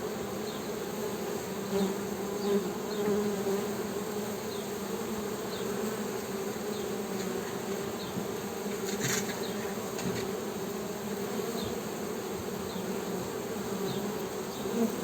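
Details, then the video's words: Honey bee humming: a steady, low droning buzz that holds even throughout, with faint short high chirps scattered over it and a brief sharp click near the ninth second. "HONEY BEE'S HUMMING SOUND"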